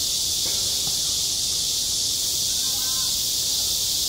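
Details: In summer heat at a school sports ground, cicadas keep up a steady, piercing high hiss without pause; soft distant voices and a faint knock appear beneath it.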